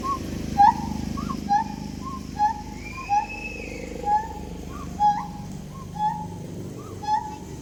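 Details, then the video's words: Siamangs giving short, hollow hooted notes, each with a brief upward flick, repeated about once a second with uneven spacing. One longer, faint, higher whistled note sounds in the middle over a low, steady background hum. "Sound effects by Siamangs"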